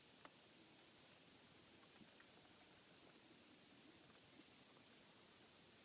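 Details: Bats in a house attic, found during an inspection for noise; rapid, very high-pitched squeaks and chitters in quick irregular series throughout, with faint low rustling beneath.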